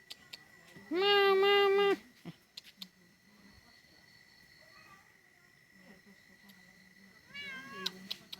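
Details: Cat meowing: one loud, steady, rather nasal meow lasting about a second, then near silence with faint taps, and a shorter, softer rising-falling meow near the end.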